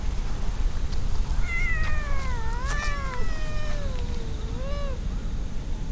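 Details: Drawn-out, wavering meows from stray cats lounging in a park with a large pond, the voices overlapping and sliding up and down over several seconds against a constant low outdoor rumble.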